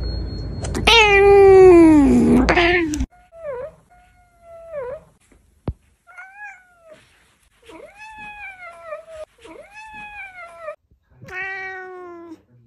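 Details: Domestic cat, close-up, opening with a loud, strained, drawn-out meow, followed by a series of shorter, softer meows with bent, rising-and-falling pitch, several in quick succession indoors.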